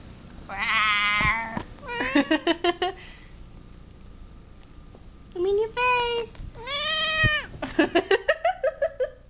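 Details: Female pet cat objecting to the camera indoors: bursts of loud, drawn-out complaining meows mixed with rapid short chirping mews, a brief pause, then more insistent yowls.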